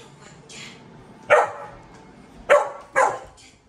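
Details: Dogs vocal together, barking: a faint bark early, then three sharp loud barks at about 1.3, 2.5 and 3 seconds, broadband and punchy, against quiet background.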